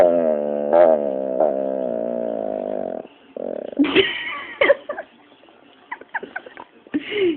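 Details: Pit bull named Dropsik, a pet dog, 'talking' while being scolded: a long, steady, harmonic whining moan of about three seconds with small pitch wobbles, followed by shorter yelping, rising-and-falling vocal bursts.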